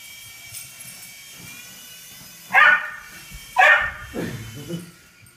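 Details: Sam, a Welsh Terrier, barks while trying to catch a helicopter: two sharp, harmonic barks about a second apart, then a lower, rougher bark trailing off, heard indoors with faint background noise.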